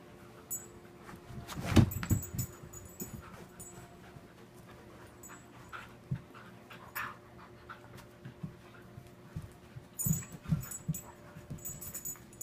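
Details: Two pet dogs playing together, Ava a five-year-old adopted shepherd mix and Ainsley a two-year-old rescued husky: soft irregular breathy panting and scuffling bursts, one louder thump near the start, over a steady low electrical hum indoors.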